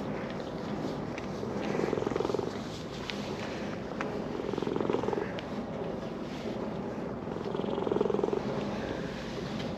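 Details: Purring of a brown-and-white park cat being petted after walking down a slope; continuous low purr pulsing in slow waves of loudness about every three seconds, quiet outdoor ambience.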